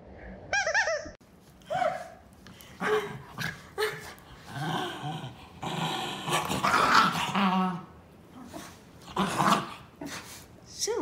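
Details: Two Basenjis, Zinga and Zulu, playing rough with each other, sounding almost mean and vicious though friendly; a burst of high yelping harmonics, then a run of rough, snarling growls and grumbles with rising and falling pitch over about ten seconds.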